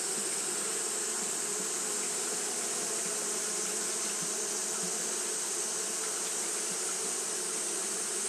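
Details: Japanese honey bees fanning nonstop on a hot day: a steady droning hum with low and mid buzzing bands that never pauses, over a constant bright hiss.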